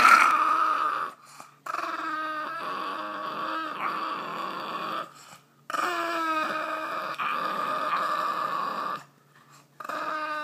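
A Boston Terrier grumbles in long, whiny, moaning tones broken by short pauses.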